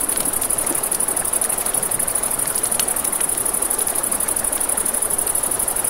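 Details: Crickets at night beside a river, a steady high pulsing trill running without pause, set against the crackle of a campfire and the soft rush of flowing water.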